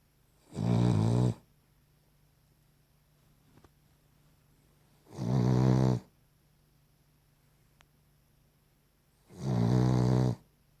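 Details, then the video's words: Cavalier King Charles Spaniel snoring: three loud, low, rattling snores, each about a second long, come roughly every four and a half seconds, with quiet gaps between them and a faint steady hum in the background. "Cavalier King Charles Spaniel snoring"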